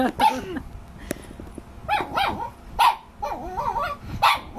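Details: Male Shih Tzu barking at his own reflection: a handful of sharp, high barks spaced about half a second to a second apart, some with a rising whiny edge, against a quiet room.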